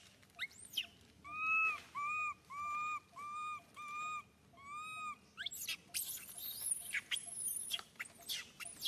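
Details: Baby monkey Suca crying loudly in pain when Susan grabs him: about seven even, tonal wails in quick succession, followed by a burst of high, shrill squeals and scuffling noise.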